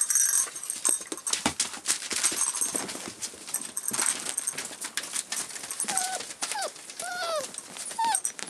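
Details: Forty-eight-day-old rough collie puppy, filmed 29 February 2012, letting out a string of thin, high whimpers that rise and fall near the end, after a stretch of tapping and clatter.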